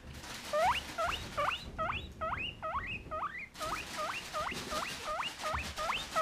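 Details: Peanut, a male pet guinea pig who wheeks loudly for his food, gives a rapid run of sharp rising squeaks, roughly two to three per second, continuous for six seconds over soft rustling.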